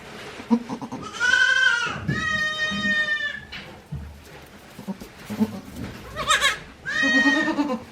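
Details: Newborn goat kids, a day old, at a handmade goat farm in Japan in April 2024, bleating repeatedly: several wavering, nasal cries, some steady and high, with soft thumps and rustling between them.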